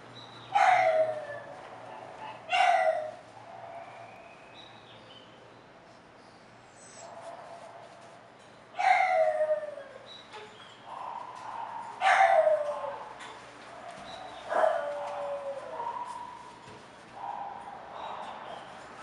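An English Bulldog gives short, whining cries that slide downward in pitch, repeated at irregular intervals.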